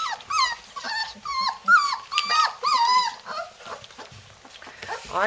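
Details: Several three-week-old Labrador Retriever puppies in Florida, trying to escape their house, give drawn-out whimpers that dip and rise in pitch, strung closely together for a few seconds before fading into scattered yips and scuffling.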